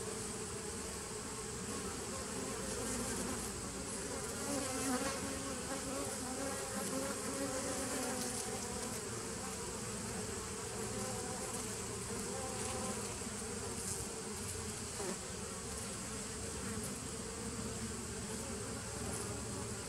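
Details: A 2017 nucleus colony of honey bees on 27 September 2018 keeps up a continuous low, layered buzz that swells slightly at times but never stops, with no other clear sounds.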